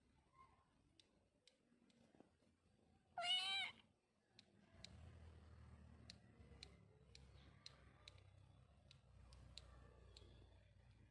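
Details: Kitten giving a single high, thin meow lasting about half a second, followed by soft rustling, scattered light clicks and a low background rumble.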